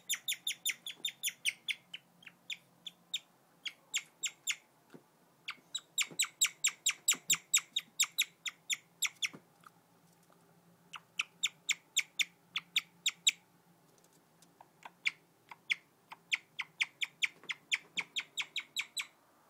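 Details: Domestic guinea pig chirping in bursts: runs of high, twittering, bird-like notes broken by short pauses, some faint handling noises in between.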